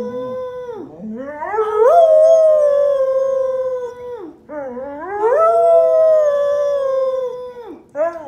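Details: An English Springer Spaniel "sings", howling in two long rising wails, each sliding up then holding steady.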